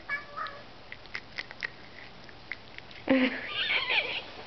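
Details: Domestic cat indoors during treat feeding: soft ticks and taps, then a loud, long meow that wavers and swoops in pitch, while a person chats to the cats.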